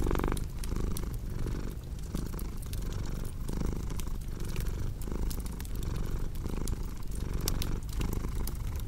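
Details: Cat purr paired with fireplace crackle for relaxing ASMR: a soft, deep continuous rumble that pulses with each inhale and exhale, accompanied by crisp intermittent snapping from the burning logs.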